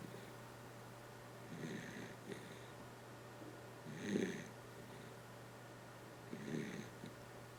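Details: Kotaro the dachshund asleep, giving soft, irregular snores: a faint rasp, a louder breathy snore near the middle and another a couple of seconds later, over a constant low hum in a quiet room.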